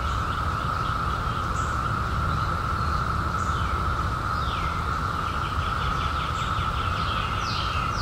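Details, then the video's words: Cicadas that emerged in 2021 after 17 years, droning steadily at a single pitch, overlaid with several birds giving rapid trilled phrases and sharp chirps, low rumble beneath. "CICADAS 🌿 Sounds"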